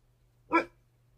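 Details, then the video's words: Poodle guarding the house, giving a single short, sharp bark lasting a fraction of a second, indoors with a faint steady hum. "Poodle guarding the house"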